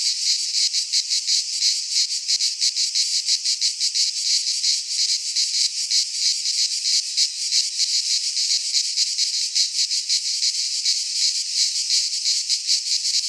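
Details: Cicadas singing in midsummer in a Greek pine forest: a dense, high, buzzy chorus throbbing in fast pulses of about three per second, steady and unbroken throughout, with no other sounds heard.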